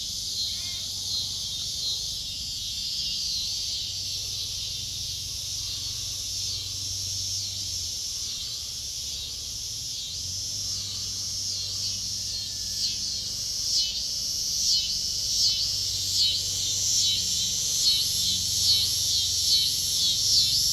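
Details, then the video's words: Cicadas singing in a backyard while kittens drink milk; a sustained high buzzing drone with rhythmic pulsing swells that grow louder toward the end, a faint low hum below. "Cicadas singing to the kittens in backyard"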